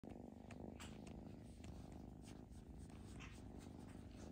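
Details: Foster kitten being socialized indoors purrs steadily, a low continuous rumble with a fine pulsing texture throughout, broken only by faint soft rustles and clicks.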